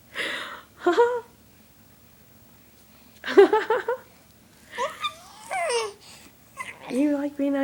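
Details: Chatty seven-month-old cat indoors giving short chirps and wavering meows, some sliding down in pitch, mixed with a person talking and laughing in between.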